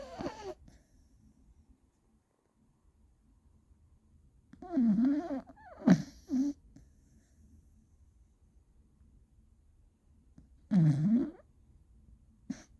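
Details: Beagle Gina snoring loudly, each snore a deep, groaning tone that dips and rises, repeated roughly every six seconds, with a quick double snort between.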